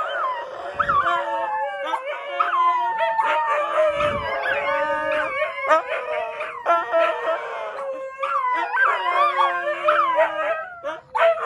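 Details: Indoors at one in the morning, Tony the Siberian Husky howls to rouse his owner: a continuous run of wavering, yodelling howls and yips, pitch sliding up and down with rich overtones, barely pausing.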